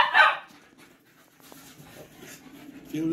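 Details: Patterdale Terriers out chasing and tearing things up give one sharp, loud bark right at the start, followed by quieter rustling, faint scuffling and a human voice speaking toward the end.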